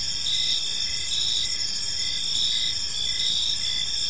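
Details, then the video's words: Park crickets at evening, a dense unbroken high-pitched trill with slight pulsing, some low background hum beneath. "Park Serenade: Cricket Sounds in a Peaceful Park | Evening Ambience"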